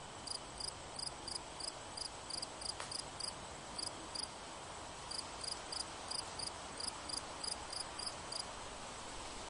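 A cricket chirps steadily, each note a brief shrill pulse, repeated roughly three times a second with slightly uneven spacing. A faint background hiss runs underneath throughout.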